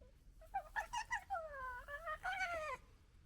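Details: A female fox gekkering at a male: a quick stuttering series of whiny, harmonic yelps that wobble up and down, running into longer wavering cries, then a final burst of chattering notes, with a quiet background.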